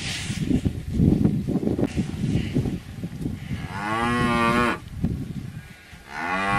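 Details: Cattle heard amid rough low rumbling noise, then a clear, sustained moo with steady pitch lasting about a second, followed by the start of another low.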